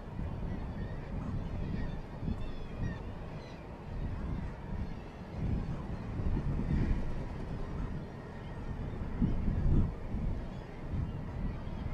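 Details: Low rumbling wind and engine-like noise with faint murmured voices, and no clear animal calls.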